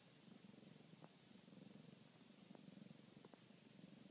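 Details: A domestic cat purring while kneading: a steady low rumbling purr pulsing in even waves, with a few faint clicks over soft background hiss.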